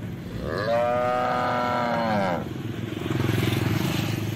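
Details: Cow mooing: one long drawn-out moo lasting about two seconds, steady then sliding downward at the end, followed by low rumbling background noise.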